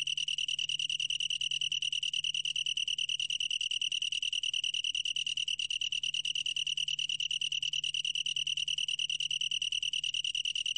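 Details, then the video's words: Continuous ringing trill of a long-tailed tree cricket: one clear high tone, finely pulsed and never pausing, over a soft low background hum. "긴꼬리, 1번 듣기, 곤충소리"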